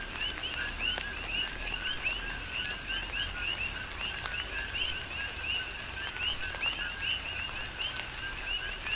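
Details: Coqui frogs calling in tropical rain on Hawaii's Big Island, many overlapping two-part notes, a lower hoot then a rising whistled chirp, dense and rhythmic, with soft constant rainfall and drips underneath.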